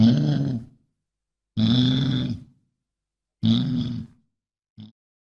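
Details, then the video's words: Deep, drawn-out bison grunts, three rough rumbling calls under a second long with pauses between, then a brief clipped fragment at the end; throaty and low with a breathy edge. "SOM DE BISAO"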